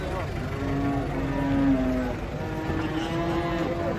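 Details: Agitated cattle coming down from a truck, described as raging; two long, steady, low moos, the first slightly falling at its end, over vehicle rumble, music and nearby voices.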